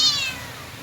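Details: Pet cat meowing while playing with its owner: a single short, bright meow rich in high overtones that glides downward and fades away in under a second.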